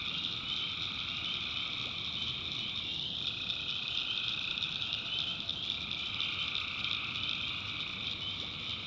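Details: Swamp at night in North Carolina, with tree frogs keeping up a steady high-pitched trilling chorus and a few brief clicks breaking through the continuous drone.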